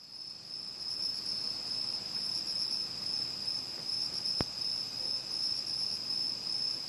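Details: Autumn night chorus of crickets, bell crickets, pine crickets and katydids around a home in Uchiko, Ehime, Japan: a steady high ringing trill dominates, with fainter shimmering pulses above and a brief click midway.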